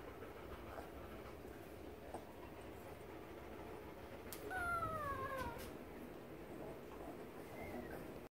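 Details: A 17-day-old German shepherd boxer mix puppy lets out one drawn-out, descending whine with bright overtones about halfway through, then a faint short squeak near the end, against a constant low background rumble.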